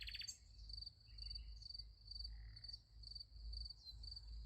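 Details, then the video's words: A night chorus of crickets by a sunflower field, their high, even pulses running continuously at a single pitch, with a short bird note at the start and a faint low hum underneath. "Nice Sunflower Field with Crickets Sound Effect"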